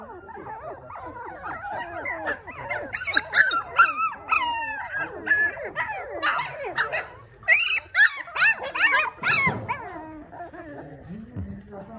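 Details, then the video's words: Maltipoo litter of four newborns: a tangle of thin, slurred whimpers and sharper squeals, rising and falling in pitch, intensifying in the middle before fading to lower moans. "マルプー マルプーちゃん4頭産まれました"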